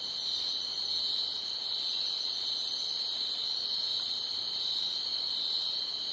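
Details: Loud night chorus of crickets: a constant piercing trill with a faint rapid pulsing and steady volume throughout.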